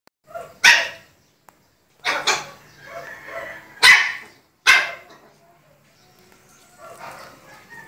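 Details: A 2-year-old Dachshund and a 2-month-old Shih Tzu play, trading sharp, high-pitched barks, with a soft voice and a fainter growl near the end.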